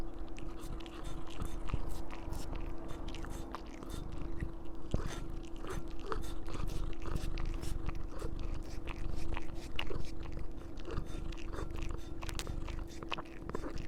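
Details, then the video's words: Oreo the cat eating a strawberry indoors: steady, wet, crunchy chewing and biting runs through the whole stretch, with dense irregular clicks over a constant low hum. "This is what an Oreo eating a strawberry sounds like."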